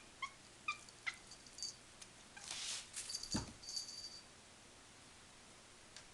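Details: Two 47-day-old female kittens in their new home mew in a way described as strange: three quick, high, thin cries in the first second, then rustling and a brief broadband scuffle.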